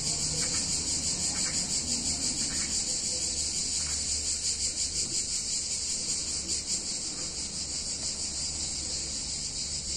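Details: Summer cicada chorus in an Italian town on a hot day, a loud unbroken high-pitched buzz with fine rapid pulsing, easing slightly toward the end, with faint low background rumble.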